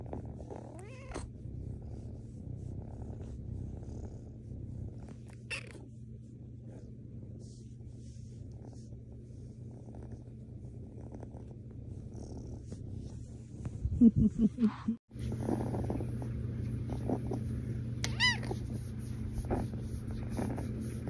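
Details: Rescue kitten Mazie, a cuddly female, purrs steadily while snuggling. A soft, even, low rumble continues throughout, with a brief rustling burst partway and a short high squeaky meow near the end.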